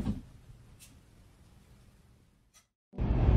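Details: Near silence with a few faint clicks, ending in a sudden burst of loud broadband noise.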